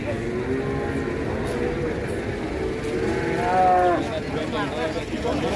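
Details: Rampaging sacrificial cow (qurban cattle) causing panic among onlookers: low drawn-out moos heard beneath overlapping human chatter and general crowd and vehicle noise.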